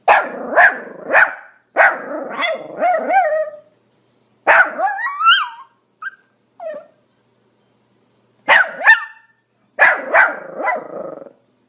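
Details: Pomeranian dog barking: high, yappy barks in quick bursts of two to four, separated by short silences, with a couple of brief squeaky yelps midway; nothing else audible.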